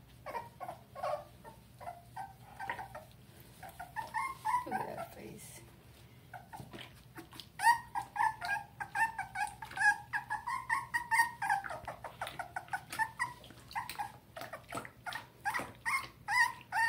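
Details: Dachshund puppy named Murphy whimpering during a bath indoors in Tampa, Florida, July 2020: a long series of high, tonal whines, some sliding up and down, repeated roughly every half second, with people talking softly and water sounds.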